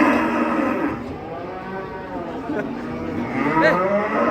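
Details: Masked cattle unloaded from a truck, said to be acting wild; lowing moos at the start and again near the end, with people calling out and talking close by.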